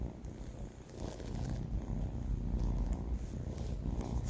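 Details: Banh Mi, a four-month-old male pet cat, snoring while asleep: a steady, deep, low rumble that swells slightly in loudness partway through, with no other clear sounds.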